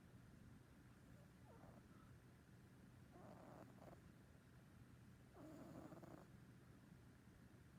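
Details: Household cat snoring in its sleep, recorded early 2019. Three quiet, rasping breaths come at roughly 1.5, 3.5 and 6 seconds, each short and breathy, over a steady low hiss.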